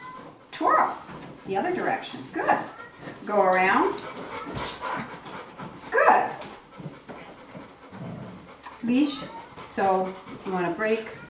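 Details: Sky, a dog, barks and whines from fear of missing out while another dog, Gem, performs tricks during a training session. Short harmonic barks and whimpers come in bursts, overlapping a trainer's steady praise and spoken instructions.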